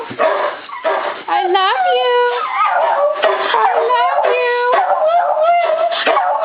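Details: Beagle howling in reply as a person repeats "I love you", joined by a coonhound and a shepherd mix; overlapping drawn-out, wavering howls slide up and down in pitch, with the spoken phrase between them.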